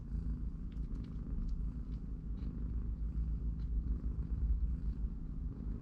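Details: Domestic cat family with three-week-old kittens, mother cat watching, kittens playing and napping in a cardboard box at home; a steady low rumbling purr runs throughout, with faint light clicks and rustles above it.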